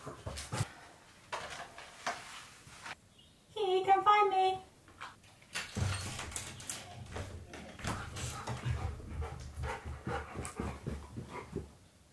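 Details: Husky searching for his owner, who is hiding under his beanbag indoors, gives one short, tuneful, rising-and-falling whining howl, followed by rustling, thumps and the owner's voice.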